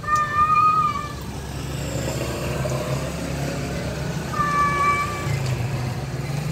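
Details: A male cat calls out to a wild female, giving two long, flat meows about four seconds apart against a constant rumble of traffic and engine noise.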